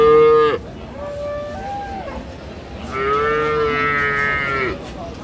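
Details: Friesian cow with calves at Ambari market in Dinajpur on 6 June gives a brief loud bellow, then a quieter wavering low call, then a long, steady, harmonic-rich moo lasting nearly two seconds over faint background hubbub.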